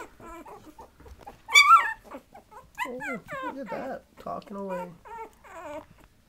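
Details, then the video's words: Patterdale Terrier puppies, 20 days old, tussling together in a puppy brawl: a run of short, squeaky whines and yelps, each bending up then down in pitch, with one louder shrill squeal early on and soft human speech underneath. "Patterdale Terrier Puppies"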